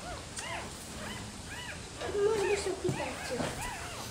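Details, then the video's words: Nursing Rottweiler puppies with their mother, Preta: a run of thin, arching whimpers repeated roughly every half second, with one longer lower whine in the middle and a woman talking softly. "amamentando filhotes de rottweiler"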